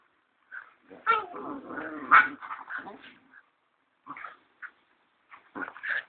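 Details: Two Siberian Husky puppies about ten weeks old playfighting at a kennel in Kaitaia, New Zealand, 1 September 2011, the usually quiet third pup attacking the fifth; a long rough growling bout, then short yips and growls after a pause.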